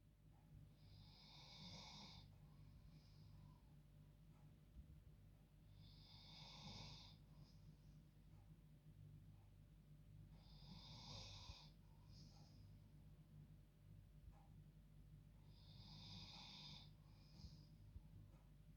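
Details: Female dog asleep in her bed at bedtime, snoring like a human: four long hissing, raspy snores about every 4.5 seconds, each with a short whistled tail, over a steady low indoor hum.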